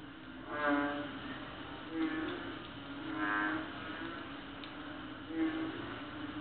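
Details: Loud nighttime croaking of small frogs heard every night on Palawan during an August trip; four nasal, honking croaks come at uneven gaps of one to two seconds, with a constant low humming drone underneath.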